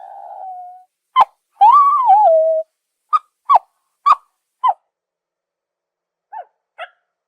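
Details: Zebra giving one drawn-out tonal whinny that rises and wavers, then a run of six short, sharp barks at roughly half-second intervals, followed after a pause by two fainter barks; clean, quiet background.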